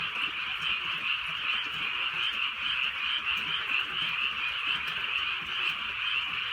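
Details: Frogs in full chorus during light countryside rain at night in Korea, steady overlapping pulsed croaks at two pitches, about 133 a minute, with quiet rain patter.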